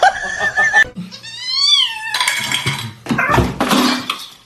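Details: A cat gives one drawn-out meow that rises and then falls, framed by clattering, bumps and rustling indoors.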